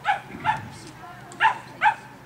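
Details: A Cavalier King Charles Spaniel on an agility course barks four times, short and bright, in two spaced pairs, over a low background hum.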